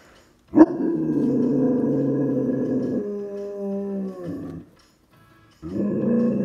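A dog gives a long, wavering howl, drawn out and steady, then starts again after a short pause.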